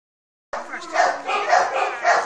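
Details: Tess, a three-month-old Malinois puppy, bites a puppy sleeve while giving tonal, strained whining growls that swell and fade in pulses roughly every half second after a silent start.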